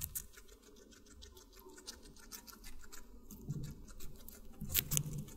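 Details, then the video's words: Guinea pig eating watermelon, recorded close up: soft, rapid crunching and clicking chews run throughout, with quiet low mouth noises that swell into louder wet munching bursts near the end. "Guinea Pig Eating Water Melon"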